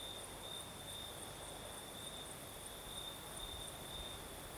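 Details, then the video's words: Night chorus of crickets in southern Crimea: a continuous shrill trill that pulses slightly and a thinner, higher ringing layer, both set against the constant rushing of a light night breeze. "Сверчки поют"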